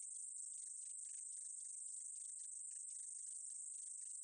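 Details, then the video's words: High steady buzzing of a meadow katydid, recorded 2020, with clusters of lower clicking ticks about twice per second beneath the constant hiss; no background sounds. "쌕쌔기, 여러번 듣기, 곤충소리"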